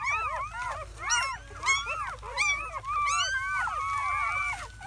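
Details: Newborn German Shepherd puppies, a litter of seven (four boys, three girls) born May 7 into May 8, 2017, crying in their first hours; loud, dense chorus of arched, rising-falling squeals and whines, several pups overlapping.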